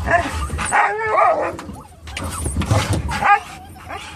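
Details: Dogs worked up as the car turns toward a pet store, a Norwegian Elkhound mix, a Labrador mix and a Rat Terrier together; short choppy whines and yelping barks overlap in a noisy jumble over low engine rumble.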